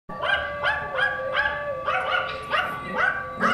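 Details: Female pet Yorkshire Terrier, 2017, barking at a recording of her own barking: rapid sharp yaps, about eight in three and a half seconds, bright and harmonic, in a steady fast rhythm.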